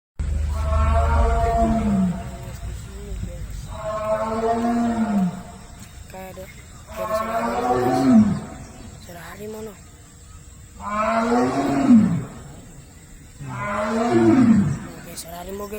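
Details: Tiger: five drawn-out, moaning roars, each about a second long and spaced roughly three seconds apart, with a bending tone that dips and rises; a low rumble at the start and faint background hiss.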